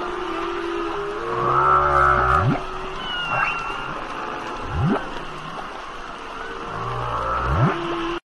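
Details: Humpback whale (Megaptera novaeangliae), song.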